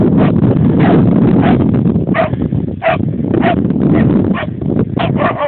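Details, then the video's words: Siberian husky confronting a groundhog, barking in rapid, irregular bursts of short yelps and barks roughly three per second, over a loud, steady low rumbling background. "dog vs groundhog"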